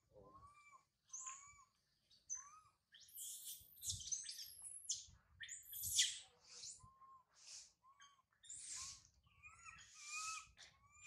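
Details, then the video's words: Baby monkey Sario calls from a high tree after mother Sarah leaves her, crying loudly with thin whistled wails that rise and fall, broken by several shrill, noisy screams and squeaks in quick irregular succession. "Pathetic Monkey Sario..! Sario crying loudly a lot on the high tree after mother Sarah leave her"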